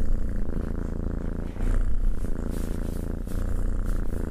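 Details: Purring of a pet cat being stroked: a dense low vibrating hum, close to the microphone, with soft brushing noises from the petting layered over the rumble.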